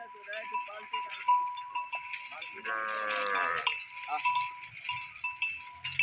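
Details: A calf grazing on grass in a village gives one drawn-out, harmonic bleating moo of about a second. A steady bell-like tone, clinking cowbells and men talking are also heard.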